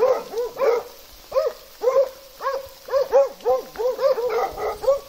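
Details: Plott hound together with an American foxhound in Russia: a run of loud, ringing, arched barks, often doubled, coming about twice a second, with voices overlapping as if more than one dog calls.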